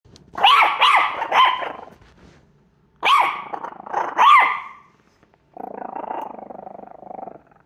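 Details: Chiweenie dog, a puppy, barking and growling at its own portrait: sharp harsh barks in bursts near the start and middle, then a low sustained growl at the end.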